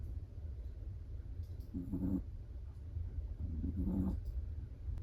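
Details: A Chihuahua asleep and snoring: two gentle, buzzy, low snores about two seconds apart, each a short rasping breath, with quiet background hum between them.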